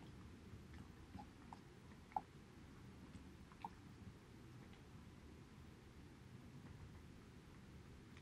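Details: Haedeun, a male Border Collie, eating pollack soup indoors: soft wet chewing and lapping throughout, with a few sharper clicks of teeth or bowl against a low steady room hum.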